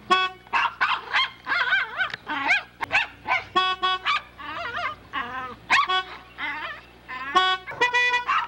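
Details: Poodle puppy in a dense, excited run of high, wavering yelping barks. Some barks bend up and down in pitch, with brief gaps between bursts.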